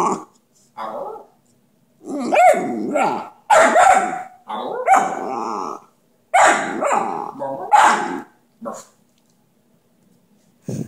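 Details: Dante the talking dog lets out a series of short whining and yowling bursts of varying length, some rising and wavering, then quieter grunts toward the end, with gaps of silence between.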